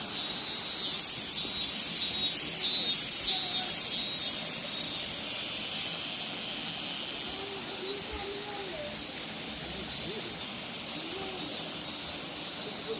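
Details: Minmin-zemi (robust cicada) calling at Minoo in Osaka late in summer, after falling silent in the city: strident pulsed buzzing repeated in even beats, easing into a steadier drone midway, with faint low chirps beneath.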